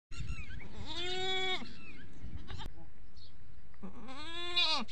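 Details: On a farm, a goat gives two long, wavering bleats, each rising then falling, separated by a short pause.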